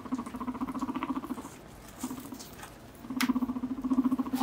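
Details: Pet guinea pig named Mop, recovering from malocclusion, gives low rapid pulsing rumbles. One long run is followed by a quiet pause with a brief burst, then the rhythmic purring resumes louder, with a few soft clicks.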